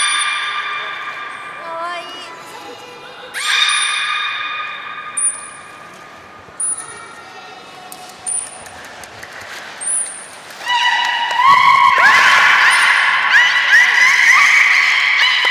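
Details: Captive belugas Gray, Nana and Nico in a training session after the 16:00 public training at Port of Nagoya Public Aquarium, 1 January 2019: rich harmonic squeals, brief high whistle tones repeated every second or so, then loud, warbling, rising squeals.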